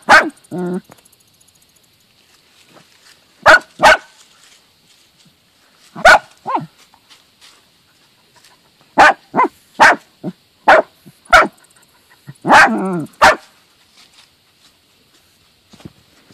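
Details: A dachshund gives sharp, excited barks in irregular bursts, some ending in a whiny tone, while digging out and hunting a mole with its mother dog, which kills the mole.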